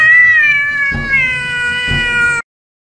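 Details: Domestic cat during a fight, caught in a compilation of funny cat moments: one long, drawn-out, strongly harmonic yowl lasting about two and a half seconds, steady then sagging slightly in pitch, with low rumbling noise beneath before sudden silence.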